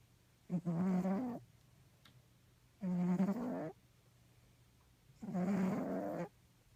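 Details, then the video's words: Fat pet cat named Crackhead snoring while asleep close to the ear: three long, rough, low breaths with buzzy harmonics, each lasting about a second, separated by quiet gaps of roughly two seconds. "Snoring cat"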